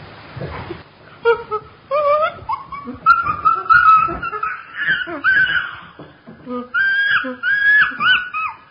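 Chimpanzee giving a run of high, wavering whimpers and squeals that rise and fall in pitch.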